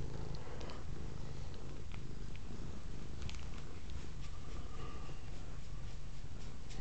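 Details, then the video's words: Continuous deep purring from Velvet, a female house cat, drawn to a camera cord and filmed on a Kodak M1033 HD; an even low rumble with occasional faint clicks. "Velvet is purring"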